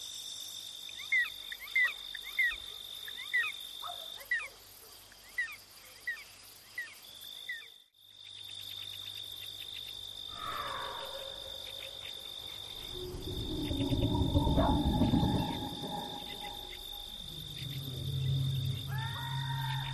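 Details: House gecko (cicak) at night: a quick run of about seven sharp, clicking chirps in the first five seconds. Then a pause, rustling and a low rumble, over a steady high-pitched hiss.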